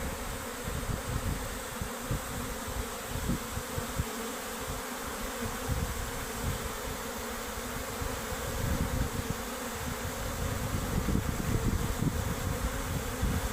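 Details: Worker honey bees fleeing their hive make a sustained, thick droning buzz for over thirteen seconds, growing a little louder toward the end, over frequent low buffeting rumbles.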